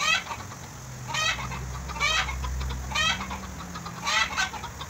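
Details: Gentle goat in Bahrain calling while being bottle-fed, four brief shaky bleats with a vibrating, wobbling tone at about one-second intervals, with a low rumbling hum underneath.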